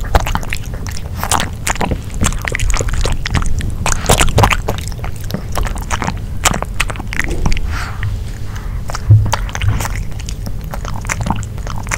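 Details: Close, loud, wet chewing and biting with crunchy scrapes continues throughout, and no animal voice is heard.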